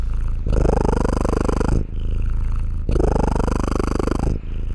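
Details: Contented domestic cat purr, a deep vibrating rumble of fast regular pulses, loud phases of about 1.5 seconds separated by softer breathing-in phases, no other sounds.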